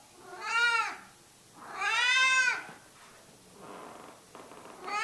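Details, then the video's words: Cat hidden under a cover, meowing repeatedly: two clear, short, nasal meows about one and a half seconds apart, each rising then falling, the second longer, with a third beginning at the end in a quiet room. "The Meowing Lump"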